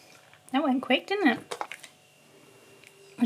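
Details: Husky named Key, indoors, talking insistently for more churros after trying them for the first time; a run of wavering, yodel-like howled syllables rising and falling in pitch for about a second, then quiet room.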